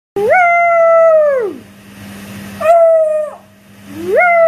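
A beagle puppy gives drawn-out, mid-pitched howls that hold steady, then slide downward at the end.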